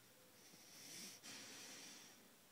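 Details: Jackson, a two-year-old bulldog napping indoors, gives a breathy, wheezing snore that swells and fades over about two seconds, with a brief snort in the middle and a faint hiss in a quiet small room.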